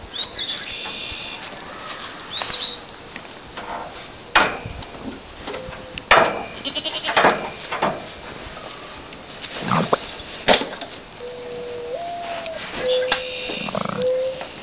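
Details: Goats shown in daily machismo displays give short bleats amid sharp knocks and clatters, with level whistle-like tones near the end against steady background noise.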